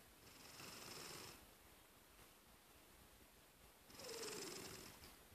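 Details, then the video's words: Pet cat snoring while napping indoors: two soft, breathy hissing breaths a few seconds apart, the second ending in a faint gliding whistle, over a quiet hiss of room noise. "Snoring Cat"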